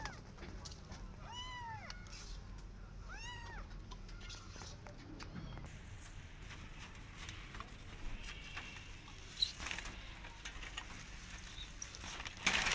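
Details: Persian cat with her adopted kittens, walking in a garden and carefully watching rabbits: two high, arching meows, each rising then falling, in the first four seconds, then quiet outdoor background with faint rustles and a sharp knock near the end.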